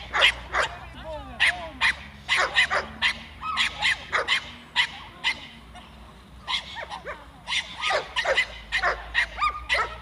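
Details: A 7-month-old Staffordshire Bull Terrier during defence training barks in rapid, harsh bursts, two or three each second, with a person speaking.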